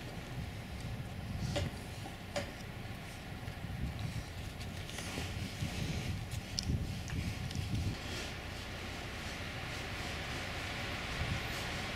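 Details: Low rumbling background noise with scattered footstep-like thumps and faint clicks; no animal voice stands out.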